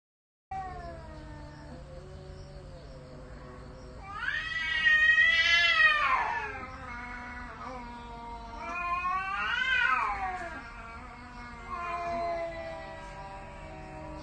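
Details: Domestic cat reacting when a cuter cat appears, giving drawn-out wavering yowls that rise and fall, loudest bursts around five and ten seconds, with quieter moaning between and a steady low hum beneath.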